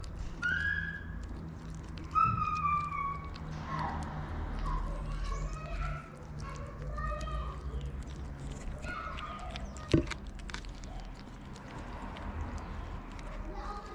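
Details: Homeless feral kittens, hungry and waiting for their mother to come back; a series of short, tonal mews, some rising, others falling, come every second or two, with soft rustling and a sharp knock near the middle.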